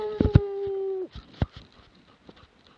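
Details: Plott hound in Latvia, 2017: a single sustained, level bay lasting about one second, followed by faint rustling and thumps.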